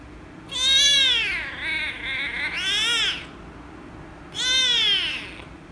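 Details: Angry rescue kitten protests being petted with loud, wavering meows: a long cry that dips and rises again, running almost three seconds, then a separate falling meow after a short pause.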